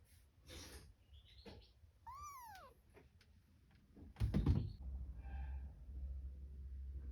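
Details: Cat with kittens indoors: one high, arching mew that rises then falls over about half a second, richly harmonic, with a fainter, shorter mew later, among soft rustling and low bumping sounds.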